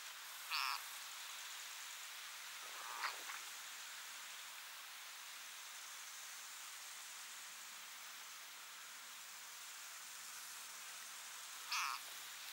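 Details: Frog fighting desperately against being eaten by a grass snake of only slightly larger size: short harmonic cries, one near the start, a faint one after three seconds and another near the end, over steady hissing background noise.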